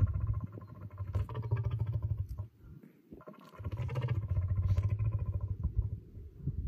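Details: Lion at GG Conservation Glen Garriff giving a deep roar rumble: a very low, throbbing growl of rapid pulses lasting over two seconds, a brief near-silent gap, then a second long pulsing rumble.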